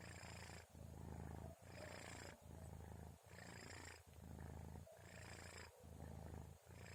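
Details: Kitten named Orens snoring while asleep around 2:30 at night, before the sahur meal: low, rumbling breaths in a steady rhythm, one snore roughly every two seconds, each pass separated by a short quiet gap.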